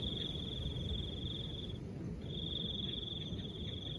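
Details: Crickets with a soft breeze: two high, even trills of about two seconds each, split by a short gap, set against a steady low wash of wind.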